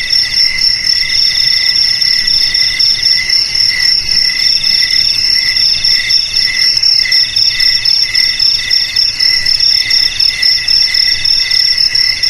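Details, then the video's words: Cricket chirping, meant for repelling rats at home, garage, warehouse or rice field: rapid continuous high trills with several bright tonal bands, pulsing steadily several times a second, loud and unbroken. "Suara JANGKRIK Pengusir TIKUS"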